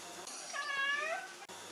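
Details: Adopted male pet cat in Italy meows in reply to its owner's questions about sleeping and going out: one drawn-out, tonal, harmonic-rich meow of about half a second, steady then gently falling, with a quiet indoor background.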